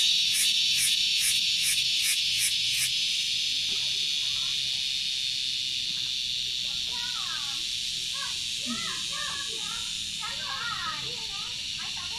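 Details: An insect found on Gunung Datuk, the source of a noisy "kriuk kriuk" sound, gives loud, rapid pulsed chirps over a steady high shrill hum, with birds twittering behind.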